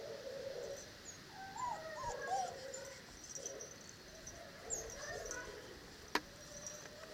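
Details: Dogo Canario puppies from the parents Gorinka and Butze, 8 November. Thin, high whimpers and squeaky whines bend up and down in short wavering phrases, with a sharp click near the end against a steady background hiss.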